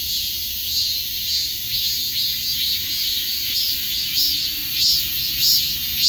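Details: Harsh, high cicada drone throbbing in loose pulses, with louder beats building in the last two seconds.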